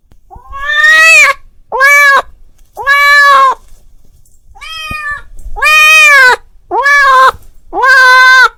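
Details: A male cat, calling his friend, gives a series of loud, drawn-out meows, each rising then falling.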